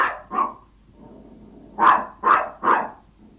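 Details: A Yorkshire Toy Terrier gives sharp, high-pitched yapping barks when hungry, asking its owner for food.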